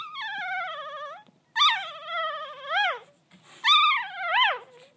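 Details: One-day-old Golden Retriever puppy named Razzie (RazzleDazzle) "singing": three long, tonal, wavering wails, each sliding down then rising to a peak before dropping away, in a quiet room.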